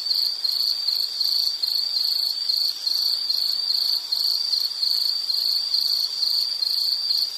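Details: Insect trilling at a constant high pitch in rhythmic pulsed bursts, about two per second, carrying on unchanged with nothing else audible.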